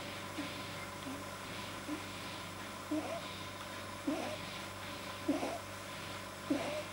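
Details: Relaxed pet rabbit Pamuk, filmed 9 January 2010, whose too-long soft palate causes strange sounds: soft, breathy snorts recurring about every 1.2 seconds, fairly quiet beneath a steady background hum.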